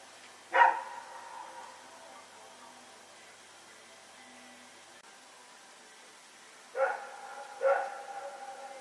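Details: Dog named Rex, with a companion dog, running around and barking during the night, recorded September 21, 2018 at Pyrga. One sharp bark near the start, then a quiet gap before two more barks close together near the end.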